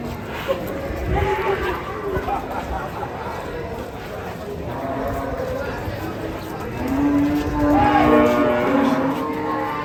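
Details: Giant fattened cattle coming down off a truck: a short moo early on, then a long, steady, deep bellow near the end, over a background of voices and handling noise.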